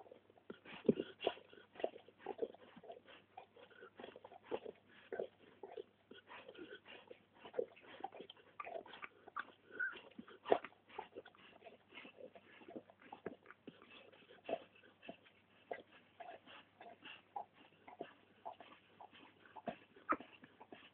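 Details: Litter of Labrador Retriever puppies born August 2010 at a Polish breeding kennel, several pups whimpering and yipping continuously, thin short squeals crowding one another with small rustling sounds between.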